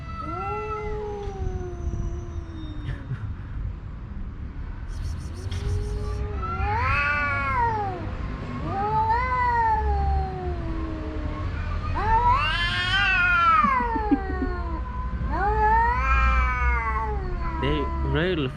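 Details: Two homeless male cats, one a tuxedo, yowling at each other in a standoff over a watching female house cat; long wavering howls rising and falling in overlapping bursts, with a brief rattling noise and low background rumble.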